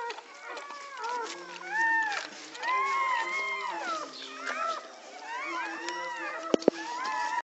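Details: Pit Bull dogs being born in Egypt: thin arched whines come in short bursts with brief gaps, and two sharp knocks sound near the end.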